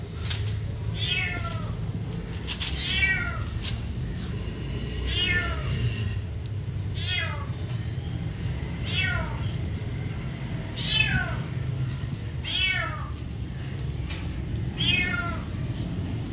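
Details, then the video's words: Cat meowing again and again, roughly nine short arched meows at fairly even intervals across sixteen seconds, with a continuous low-pitched hum underneath. "cat meowing"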